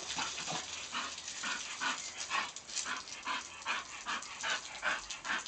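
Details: English bull terrier playing and chasing a water hose; short yipping bursts repeated about two to three times a second, uneven in rhythm, over steady hissing spray of water.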